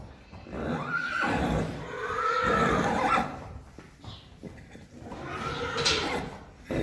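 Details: Friesian horses, mares with fillies a few weeks old, being led out to the field on 4 November 2019; a loud, wavering neigh around the first second and a longer whinny near the middle, with hoof clatter and handling noise around them.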